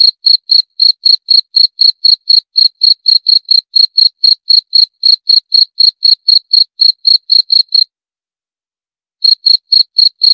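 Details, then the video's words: Cricket chirping in clean, evenly spaced high-pitched pulses, about four per second, with a brief silence of over a second near the end before the chirps resume; no other sounds. "22 Menit Suara Jangkrik - 22 Minutes Cricket Sound Effect"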